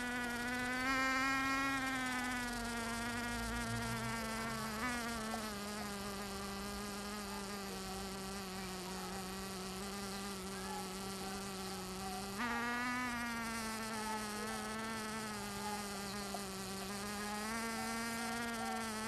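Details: Bees in Finistère, Brittany, western France, seen doing more than foraging; a sustained harmonic drone that drops lower in pitch around five seconds, then jumps back higher near twelve seconds before settling into a steady hum.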